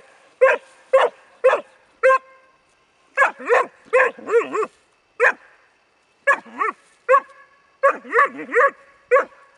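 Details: Bracco Italiano dog Rus De'Viaro Venezia barking in irregular bursts: four evenly spaced single barks, then quick doubled yelps with wavering pitch, a gap, and another flurry of excited barks.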